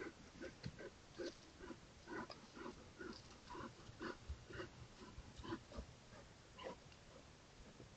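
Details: A bear called "Joker" on a trail camera, crossing a high log bridge, grunts over and over, each grunt short, rough and low, several a second in a quick, uneven rhythm, with faint background hiss throughout.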